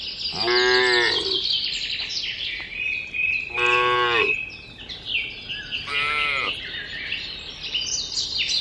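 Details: Tame herd of cattle walking along a mining road toward a green village: three long, drawn-out moos, each rising then falling, spaced about three seconds apart, over a steady high-pitched background hiss.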